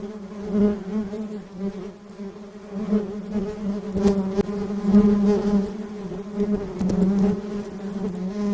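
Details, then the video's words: Honey bees in flight give a low, even buzz with bright harmonics, growing a little louder toward the middle, with a couple of sharp clicks breaking through. "buzzing sound of bees"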